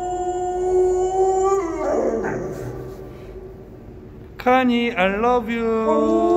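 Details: Pet dog's howl "a-u" at home. A sustained tone slides downward over the first two seconds, then fades to quiet. Loud, wavering howls that bend upward and down return after four and a half seconds.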